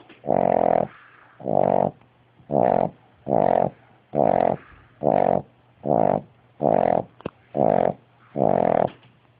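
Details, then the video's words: Eyes-open sleeping dog snoring like a freight train: ten loud, growly snores roughly every second, each a coarse nasal drone. Soft exhalations fill the gaps, over a constant low hum in a small room. "Dog Sleeping with its Eyes Open and Snoring Like a Banshee"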